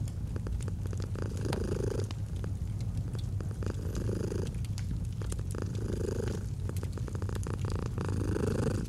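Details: Gentle purring of a domestic cat beside a fireplace in cozy autumn ambience: a continuous deep rumble with soft louder phases roughly every two seconds, over frequent snapping fire crackles.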